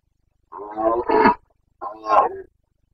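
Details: Carpathian red deer stag in Bucovina during the breeding season (rut), 29 September 2022, giving two harsh roars under a second long, the second louder and coarser, separated by a short silence.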